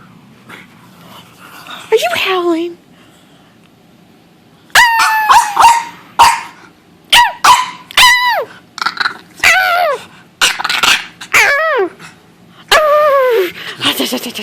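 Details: Dog vocalizing together with its owner: a human voice, then a run of short rising-and-falling yelping whines and barks in quick bursts with small gaps between them.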